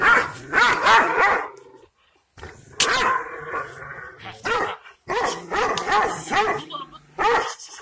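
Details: Kangal shepherd dog of the Aksaray Malaklı type in Turkey, reacting angrily to strangers. Deep, strained barks come in quick runs with a short silent gap, and some voices are faintly mixed in.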